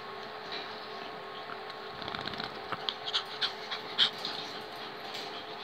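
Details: Five-week-old long-haired pedigree Chihuahua puppies from one litter, giving quick breathy panting and snuffling bursts that grow louder midway, with a faint squeak and a constant low hum underneath.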